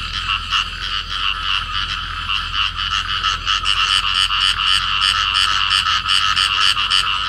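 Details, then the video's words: A pair of field frogs clasped together and calling: fast, harsh, rattling croaks in a continuous chorus, growing slightly louder and more evenly pulsed toward the end. "cặp nhái đồng ôm nhau kêu"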